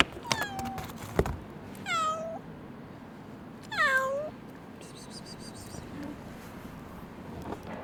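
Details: Abandoned stray kitten, rescued after two days frozen in -11°C snow, gives two high, descending meows about two seconds apart, each sliding down into a short wavering tail, over a low steady background hum.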